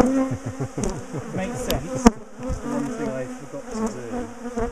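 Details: Bees from a large, defensive colony in a top bar hive that is being dismantled, split and moved; many overlapping wavering buzzes drift in pitch as bees fly past, with a sharp knock near the middle and low pulsing hums.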